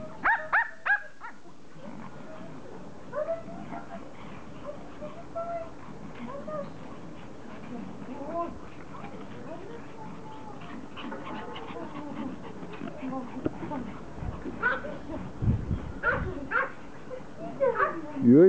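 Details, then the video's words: Several Pomeranians happy to see their owner returning from vacation give sharp yips at the start and end and scattered bending whines, mixed with people talking and handling noise throughout. "Reunion - POMERANIANS very HAPPY to see mom"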